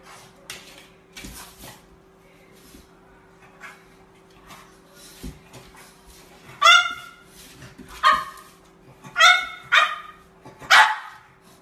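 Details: French Bulldog puppy giving a run of high, sharp yipping barks, each short and bright, coming roughly once per second near the end after soft scattered clicks and rustling, with a steady faint hum underneath.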